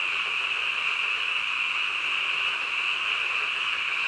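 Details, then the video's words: Frogs croaking in the middle of the night: a dense, unbroken chorus of high, trilling calls blending into one steady shimmering drone, with no other clear sounds. "한밤중 개구리 울음소리"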